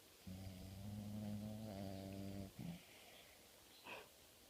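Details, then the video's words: Family dog snoring while he naps: one long, buzzy, rumbling low snore of about two seconds with a steady droning tone, then a short snuffle and a faint higher breathy sound. "My snoring dog"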